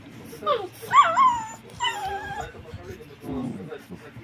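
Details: Rottweiler puppies, seven weeks old, three sharing a toy in play; high, wavering whines and yelps rise and fall in two clear bursts, followed by a softer lower whimper, with faint voices behind.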